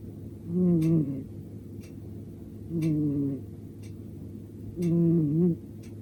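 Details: Ponta, a male short-legged brown-tabby-and-white Munchkin cat at cat café Ponpoko, asleep on a sofa after tiring himself out playing: three low, nasal, slightly wavering snores, each under a second, about every two seconds over a steady low hum.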